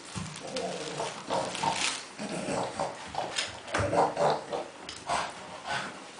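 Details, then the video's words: Kuba the dog, busy with tennis balls, utters nasal piglike grunts with a few squeaky whine-like edges, in uneven bursts about every half second. "Kuba in heaven of tennis balls making funny sounds"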